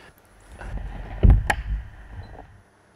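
A pistol shrimp's claw snap, a sharp crack heard through an underwater microphone over low rumbling.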